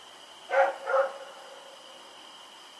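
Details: Night recording of Rex the dog from October 7, 2018: a pair of short, rough barks in quick succession, followed by quiet with a steady background hum.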